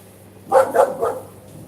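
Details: A husky, pointed out right after the sound, gives three short, harmonic barks in quick succession, each fading quickly, over a low steady hum and a quiet background.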